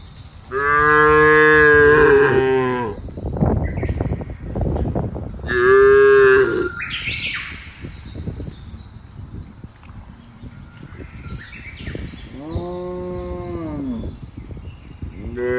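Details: Tame cattle fattened by grazing freely on a wide open village pasture, a herd lowing: a long loud moo, a shorter second moo, then a softer drawn-out one, with rustling, thuds and faint bird chirps between calls.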